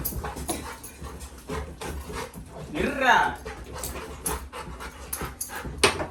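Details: Labrador retriever puppy indoors crying at his brother to be taken out soon for a walk; one wavering, harmonic whine rises and falls mid-clip amid panting, shuffling noises and a person saying "hey".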